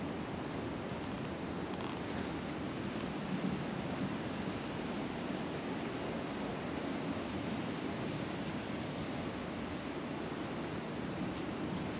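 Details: Steady broadband rushing noise like wind or distant surf continues throughout, with no animal call heard.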